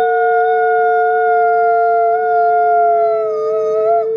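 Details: Nikai, a captive-born gray wolf at the Wolf Conservation Center, South Salem, New York, in a group howl: two long, nearly flat, pure tones held steady throughout, the upper one wavering slightly at the end.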